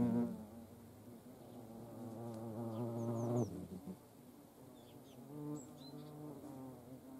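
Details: Hornets at a feeding place shared with ants near Dohr in the Eifel, Germany; a low droning wingbeat hum with stacked harmonics that swells and fades as insects fly past, with faint high chirps of birds in the background.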